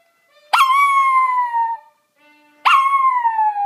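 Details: A Maltese dog sings along to a TV programme with two drawn-out howls, each rising sharply then gliding gently downward, clear and harmonic-rich, with a brief quiet gap between them.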